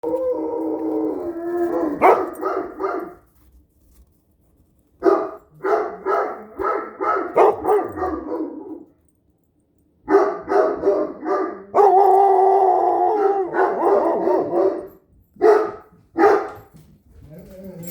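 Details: A Great Dane and a Standard Poodle howl in wavering, mid-pitched bouts, broken by yips and odd whining noises.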